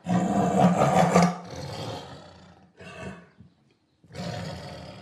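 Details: A tiger gives a powerful roar opening at full strength with a deep, buzzy tone, then fading into a shorter grunt, a pause of near silence, and a further low growling roar.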